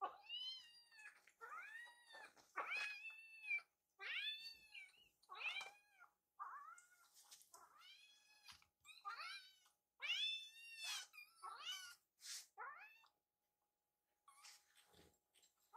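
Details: Hungry rescued kitten asks for food indoors with a long, insistent series of loud, bent meows, often two or three in quick succession, pitch swooping up and down, pausing briefly before the calls fade near the end.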